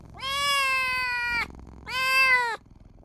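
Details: Tiny newborn kitten crying for its mother and owner: two long, high, sustained meows, the first about a second and a quarter, the second shorter, with a brief pause between.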